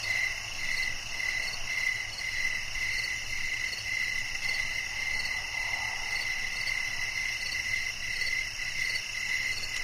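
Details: Cricket calls in a relaxing nature recording: repeated high chirps about every half second, steady in pitch, running over a busy shrill chorus of other insects with a quiet low drone underneath.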